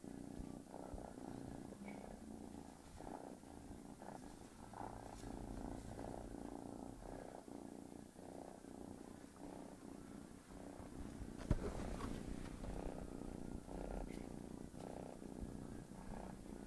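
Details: Tigger the cat purrs deeply while a kitten bothers it during its nap, a continuous low pulsing rumble rising and falling with each breath, with an occasional faint knock.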